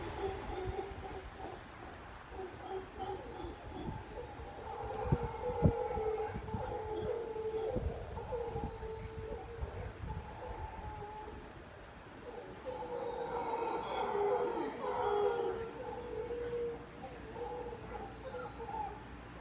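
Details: Howler monkey in a tree beside a patio overlooking the ocean in Tamarindo, Costa Rica, one of a resident family, howling in the morning like a woman crying; long moaning tones rise and fall over steady road noise, with other monkeys joining.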